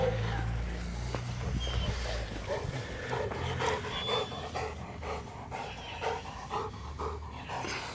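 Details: Dogo Canario Aron at mating time pants hard and steadily, breathy rasps repeating about twice a second, with low background rumble and some human voices.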